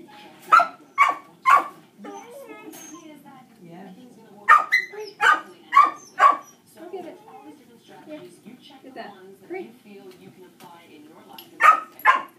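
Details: Barking from nearby dogs distracts during Dixie's first shaping training session, Dixie being reactive to dogs: clusters of three or four hard barks, then a quieter spell with scattered softer sounds, then another pair of barks. Spoken praise runs underneath.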